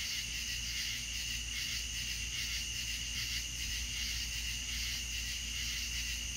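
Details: Southern night soundscape of crickets. Overlapping high, buzzy trills rise and fall in soft pulsing waves, sustained without pause above a low constant hum.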